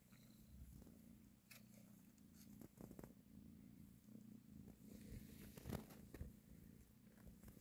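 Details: Nursing her kittens and caressing them, a mother cat purrs in a continuous low, pulsing rumble, slightly swelling and fading, with scattered soft rustling and handling noises.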